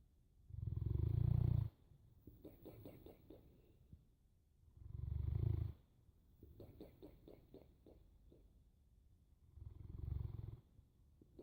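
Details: Snoring Boerboel, deep buzzing inhales recurring roughly every four to five seconds, three in all, separated by quieter clicking, rattly exhales.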